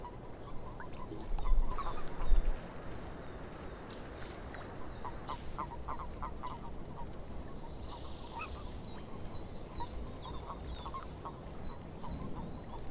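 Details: Scattered frog croaks in a swamp, looser and quieter than a full chorus, with a couple of louder knocks early on, thin high chirps above and a steady background rumble.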